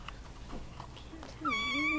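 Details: Russian Blue kittens at a volunteer kitten socialization facility; a high harmonic meow rises in the last half second, sliding and slightly wavering, after quiet room noise and faint human voices.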